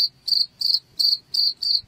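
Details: Cricket chirping, played to repel rats: a high, narrow trilled band of pulsed chirps, each about a quarter second long, repeated roughly every third of a second with faint low rumble beneath.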